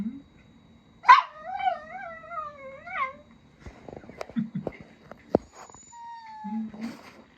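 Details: Miniature Dachshund, one of a family of four such dogs kept as pets, giving a long wavering whine that rises and falls in pitch for about two seconds, followed by softer rustling, clicks and faint high squeaks.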